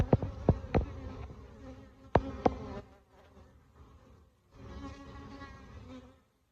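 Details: Honey bees buzzing at a large hive being removed live from inside a jacuzzi, where they had entered through a hole in a bottom corner; a steady droning hum with several sharp knocks and clatters from the removal work, then a brief quieter gap.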